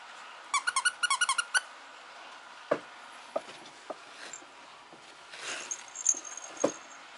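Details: Female Mame Shiba Inu puppy in Japan giving a quick burst of short, high yips, about ten notes in a second, followed by scattered soft clicks and taps in a quiet room.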